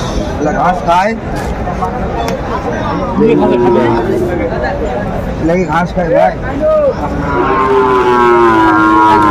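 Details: Sahiwal bull calves at a cattle market in Kurigram, Bangladesh, lowing with drawn-out moos that rise and fall, several overlapping calls amid steady crowd chatter and men bargaining over prices.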